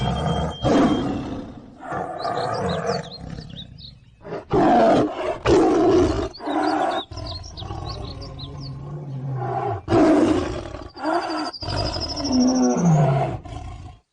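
A tiger gives deep, rasping roars in long bursts, with faint bird chirps high above.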